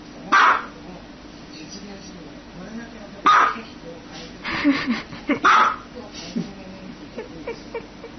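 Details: Three sharp dog barks spaced a few seconds apart, mixed with softer yelps, clicks and faint talking in the background.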